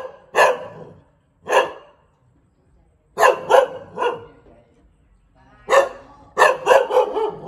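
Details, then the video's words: Bangkaew breed dog barking in uneven spacing: two single barks, then a run of three, a pause, and a closing rapid volley of four sharp woofs. "เสียงหมาเห่า หมาพันธุ์บางแก้ว"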